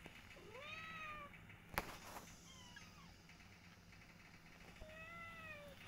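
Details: Indoor domestic cats, mother Silky with her kittens and their father: a rising-falling meow, a sharp click, a fainter meow near three seconds, then a final drawn-out meow, with a low background hum.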